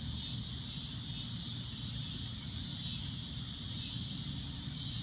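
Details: Cicadas at sunset giving a loud, shrill, unbroken high drone that holds steady throughout, over a constant low rumble.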